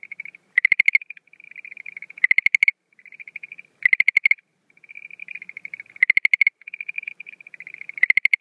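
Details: Night chorus of a Schlegel's green tree frog in April 2013 breeding season: loud rattling bursts of quick clicking pulses every second or two, separated by softer, lower-level trilled notes.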